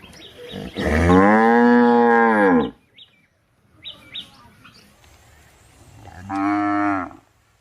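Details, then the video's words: Two cow moos, the first a full two-second bellow and the second shorter, with soft chirping sounds heard between them. "गाय की आवाज"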